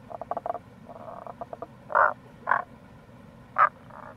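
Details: Tago's brown frog (Rana tagoi) calling in April near a gorge on the Kamo River, Itoshima, Fukuoka, Japan: quick pulsed croaking trains, then three loud, short, gruff croaks spaced about half a second to a second apart over a steady low rushing background.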